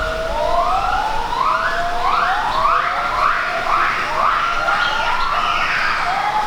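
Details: Gibbons at a rehabilitation project in Khao Phra Thaeo National Park, Phuket, Thailand, rescued from use as tourist attractions, give a series of rising, swooping whoops that build in pitch and pace, overlapping one another.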